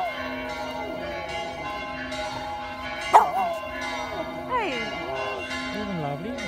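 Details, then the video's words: Pet dog howling along with ringing church bells in Vasto; sustained wavering howls with sliding pitch rise and fall over steady layered bell tones, a sharp bell strike partway through. "Dog howling at church bells"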